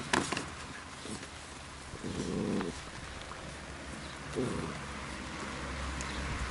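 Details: Labrador Retriever puppies at play in the rain; a short low rumbling growl lasting under a second midway, a brief second grumble later, over constant rain hiss and occasional knocks.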